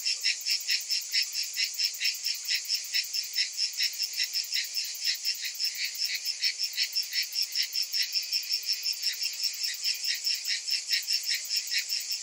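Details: Summertime cicadas in full chorus, an intense metallic buzz beating in quick, steady pulses without pause across the whole stretch.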